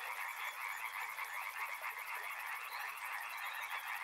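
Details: Many frogs croak at once near a river, forming a continuous, thick wall of pulsing calls; a high, fast ticking, insect-like trill runs throughout above the frogs.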